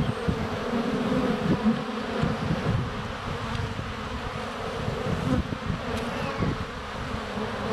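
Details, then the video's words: Swarm of honey bees in flight at the hive entrance, filmed during sunny February days with a GoPro less than a foot away; continuous droning buzz with fluctuating pitch and occasional taps as bees land. "4K Honey Bees - ambient video and audio"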